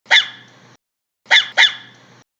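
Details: High-pitched dog barks: one sharp yap, a pause, then two quick yaps in succession, each trailing off with a short echo.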